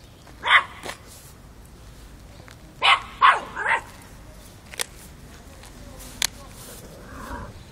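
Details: Chocolina (Chiquita), a five-month-old Miniature Pinscher in Kiev, Ukraine, facing off with an adult cat, October 2013: a pair of high yaps, a quick burst of three barks, scattered clicks, and a soft low voice near the end.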